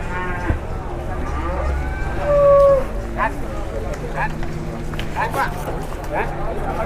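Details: Cattle carried in an overloaded, tightly packed load give a drawn-out low moo that is strongest midway through, among other overlapping bellows, a continuous rumbling drone and occasional Indonesian speech.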